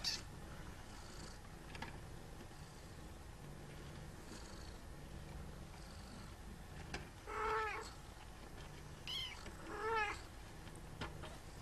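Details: Traditional Siamese kittens wrestling; two drawn-out, wavering meows with rich harmonics stand out over a steady, noisy background, one about halfway through and another near the end.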